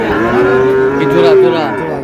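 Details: Sahiwal bull calf mooing at a cattle market in Mymensingh, Bangladesh, on 7 May: a long steady harmonic low, held for about half a second, then a second rising moo, over a busy market din of voices.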